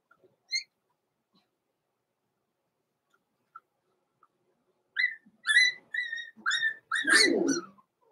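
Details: Blenheim Cavalier King Charles Spaniel puppies, born November 14, 2022 in a small litter, indoors in a puppy pen before Christmas; a few isolated high squeaks, then a run of clear, high-pitched whistled whines and yelps, ending in a louder, rougher cry.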